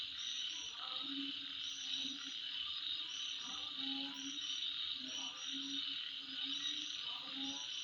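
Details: Insects heard at midnight: a constant high, hissing trill forms a steady wall of sound, broken by short high chirps in pairs and low, pulsed croaks every few seconds.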